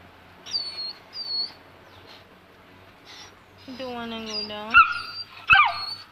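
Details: Young Saint Bernard, two months old and scared to descend stairs, produces brief high whines and a couple of sharp yelps near the end as a woman urges it on.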